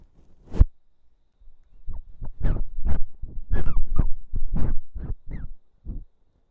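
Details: Jjonddeok, a female American Curl cat with straightened ears born 30 December 2018, recorded at home on an ASMR microphone: a string of about ten short, harmonic calls over five seconds, several sliding up or down in pitch, with faint room noise.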